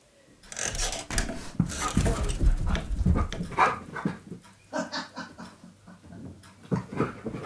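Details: Keyush, a stunt dog, searches for his hiding owner during a game of hide-and-seek. Rapid, irregular breathy panting and sniffing bursts, roughly two per second, with soft rustling and movement noises between them.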